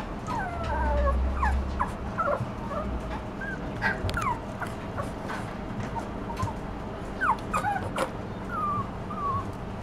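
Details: Toy Poodle puppy giving scattered high, whistled whines, some falling and some briefly rising, irregularly spaced over a low background rumble with occasional soft knocks.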